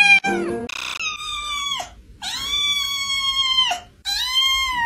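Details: Cute cat uttering three long, steady, high meows, each ending in a downward slide, after a brief burst of noise, with quiet music faintly beneath.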